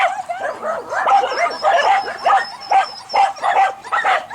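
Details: Croatian Sheepdog, two and a half years old, barking during a test of its innate traits: rapid, sharp, yelping barks in quick succession, about two per second, with some whining in between.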